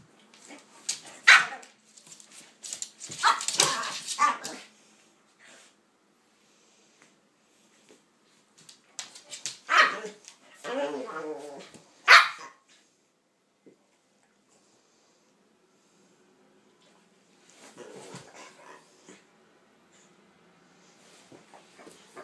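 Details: Pitbull and King Charles spaniel, Kaiser and Viki, playing together indoors: sharp barks and high yips in loud clustered bursts, separated by quiet pauses, with a softer run of barking near the end.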